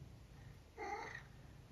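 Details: Vocal senior tabby mix house cat in the UK answers its owner, who says it is not food time: one short, soft, tonal meow, steady in pitch and lasting under half a second, in a quiet room.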